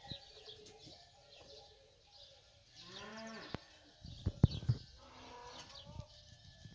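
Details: Fighting bulls of a ganado bravo herd while eating; one deep, drawn-out harmonic moo swells and fades around the middle, with sharp clattering knocks, low rumbling and faint bird chirps around it.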